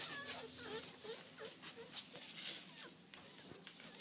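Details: Miniature dachshund puppies, blue-and-tan and black-and-tan piebalds born October 12th and a few weeks old, give a run of short, thin squeaks and whimpers, each rising briefly in pitch.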